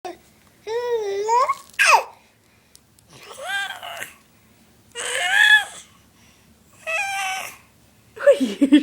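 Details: Seven-month-old cat talking indoors: a run of drawn-out, rising and bending meows, about five separate calls spaced a second or so apart, with a person's soft voice nearby.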